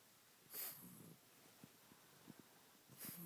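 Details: Senior pug with a terrible cough, filmed for the vet: two sharp, explosive bursts about two and a half seconds apart, with soft low snuffling and breathy snorts between them in a quiet room.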